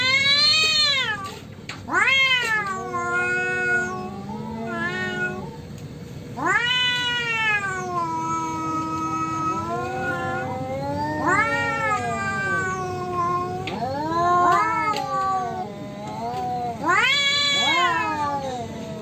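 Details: Street cats in a natural fight, an orange cat among them: repeated drawn-out yowls that swoop up then sag, several overlapping, sharp rising wails between lower moaning howls.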